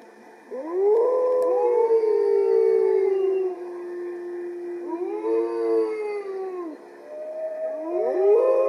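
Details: Wolf Motomo protesting as his mate Mai is taken on a walk, 20 September 2020, while the other wolves join in. Rising, then long, steady, falling howls come in three bursts, several voices layered together.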